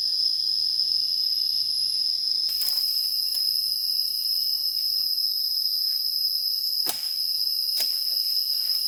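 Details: Cicadas calling in a forest in Savannakhet Province, Laos, during a hunt. A continuous shrill, even buzz sounds with no pauses, joined by a few sharp clicks and light rustling.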